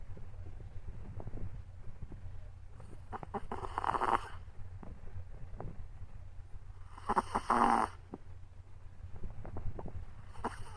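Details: A Chihuahua puppy, worn out after a walk, sleeps deeply and snores. A steady low rumble runs throughout, with two louder, snorting breath bursts near four and seven and a half seconds and soft clicks between.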